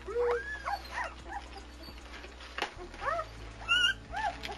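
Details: Young German Shepherd puppies at Vom Barron's Pride, litter born February 18, 2009, give scattered thin arched whines and a few sharper squeaks against a humming, noisy background.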